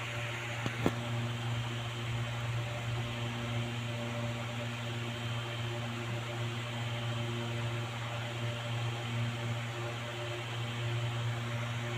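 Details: Steady low mechanical hum like a fan or appliance runs throughout, with one brief sharp click near the start and no animal voice.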